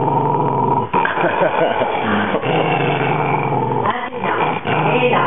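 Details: A Maltese Terrier guarding his bone gives a sustained deep rumbling growl. It breaks briefly and resumes, while a person talks to the dog over it.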